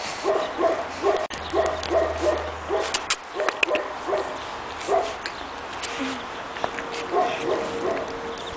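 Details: Young Pekingese pups aged two and a half months, outdoors in snow for the first time in Tallinn, Estonia, yapping in bursts of sharp high barks, pausing briefly, then resuming with scattered yelps and a faint steady whine.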